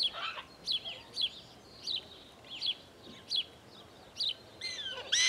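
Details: Prairie dog at Out of Africa wildlife park in Camp Verde, Arizona, giving sharp high chirps repeated roughly every second, each a quick down-slurred bark, with steady background hiss.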